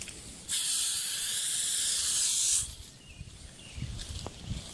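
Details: Wild hognose snake met while field herping near the Kankakee Sands region of Illinois in 2021, handled before it feigned death; one loud breathy hiss lasting about two seconds, then quiet with faint rustling and handling noise.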